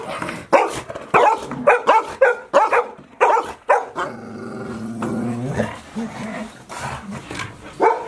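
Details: Five Golden Retriever puppies, about 158 days old, kept indoors all day as Typhoon No. 24 approached, Japan, September 30, 2018: rapid series of sharp yelping barks, then a drawn-out whiny growl-like vocalisation and more barks.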